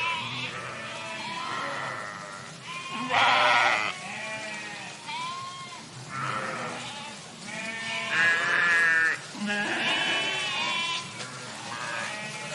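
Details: Sheep flock in a park giving loud, quavering bleats, several voices overlapping, bursts every few seconds, some high and strained, others lower and shorter.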